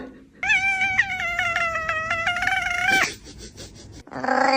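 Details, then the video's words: Domestic cat making a funny noise: one long, drawn-out, steady meow lasting over two seconds with a slight waver, dropping sharply at the end, then after a short pause the start of another loud, strained call. "A collection of cats making funny noises"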